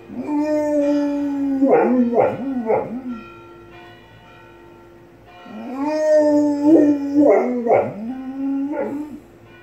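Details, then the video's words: Unequa, a pet dog, howls in tune with ringing church bells next door, which she loves: two long wavering howl bouts with rich harmonics and sliding, dipping pitch, separated by a pause, while steady bell tones ring beneath. "Dog Howls After Hearing Church Bells"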